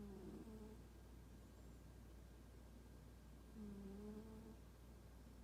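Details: A sleeping house cat named Toraji, described as not affectionate, gives two soft whistled snores about four seconds apart, each a short low tone that dips slightly. A faint background hum runs underneath.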